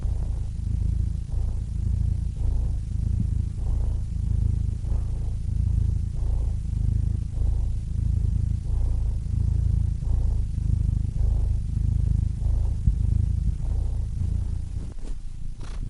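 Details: Cats purring in a relaxation recording: a continuous deep rumbling purr with a rhythmic swell roughly every second and a quarter, steady throughout, ending with a brief faint rustle.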